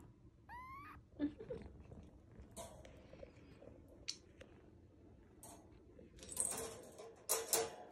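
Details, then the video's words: Rescued kitten, among kittens found crying in a pitch-dark sewer drain and in bushes after falling or getting lost, gives one clear rising meow early on, followed by rustling, handling noises and scattered clicks. "암흑같은 하수로에 떨어져 울고 있던 새끼고양이,낙상으로 미동조차없던 새끼고양이,수풀속에서 몇시간동안 울기만 했던 새끼고양이들이 내게로 왔다"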